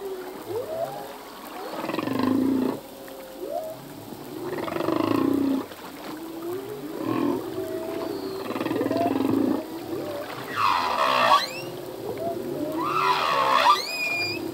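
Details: Humpback whale male singing his full song at sea: a run of low pulsed grunts and short upswept moans repeating every few seconds, building to two loud high harmonic cries with sharp rising whistles near the end.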